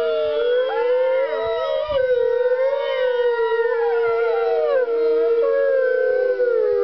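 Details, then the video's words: Several gray wolves at a wolf center in California howl together on the Fourth of July in a long, overlapping chorus of sustained, wavering tones, with no fireworks in the area. "California Wolf Center wolves howling"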